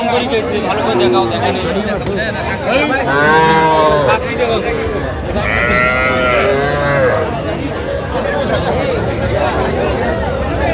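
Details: Young cattle calves, small bull and heifer calves, at a cattle market in Jamalpur, Bangladesh, on 25 October 2025: two drawn-out harmonic moos rising and falling mid-clip, over steady human chatter and bargaining voices.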